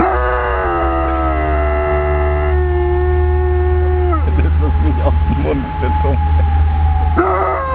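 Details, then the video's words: Aiso, a pet dog, howls alongside steady, siren-like tones. Long, flat, layered pitches hold for several seconds and then drop. Broken, wavering cries follow before another rising note at the end. "Howling Aiso 2"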